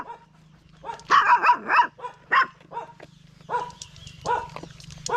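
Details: Stray dog giving short, rough barks in quick clusters, loudest around the middle, then a few spaced single barks, over a steady low electrical hum.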